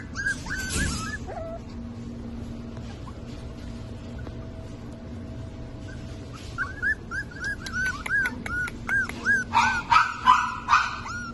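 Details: Black and white Havanese puppies whimpering and yipping: a short whine near the start, then from about six seconds a run of rising-falling whistled squeals, several per second, growing louder toward the end, over a steady low hum.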